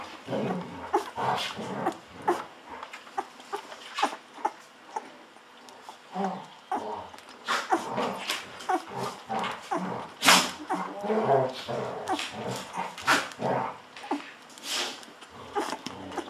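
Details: Bottle-fed Golden Retriever puppies on day 14 making louder whiny squeals and grunting whimpers, roughly once a second, over continual slurping and gulping sounds.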